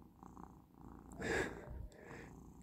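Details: Pet cat Persyk, relaxed indoors on its final day of medicine, purring softly in a low pulsing rumble, broken midway by a brief louder breathy burst before the gentle purr resumes.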